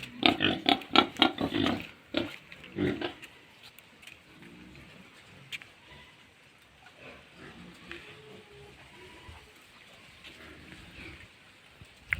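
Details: Pigs on a farm at feeding time, a burst of loud grunts and snorts in the first three seconds, then quieter scattered grunting and rustling for the rest.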